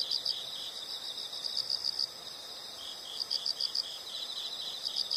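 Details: Insects chirping as a calming nature sound: bright, high-pitched pulsed chirps in short bursts of about four to five pulses, repeating roughly every one and a half seconds over a steady insect drone.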